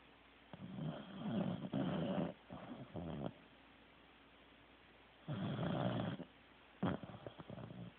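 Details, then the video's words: Teddy, a Corgi, snoring while asleep: loud, rough, noisy breaths come in long bursts of about a second, separated by quiet gaps, with one longer pause midway before the heavy rasping snores resume. "Teddy SNORING"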